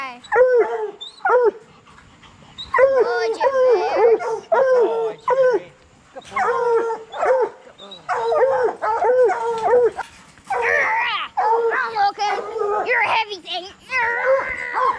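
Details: Several coonhounds, bluetick and black and tan breeds, in training for raccoon hunting. They give a steady run of arched, choppy bawls in quick succession that grows denser and rougher toward the end, with overlapping voices.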